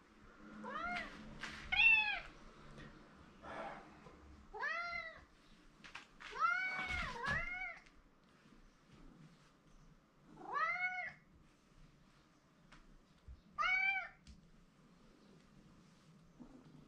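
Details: Male domestic cat indoors meowing repeatedly for attention from a person he is fond of; seven clear rising-falling harmonic meows, some in quick pairs, spaced across the stretch, with a man's voice murmuring nearby.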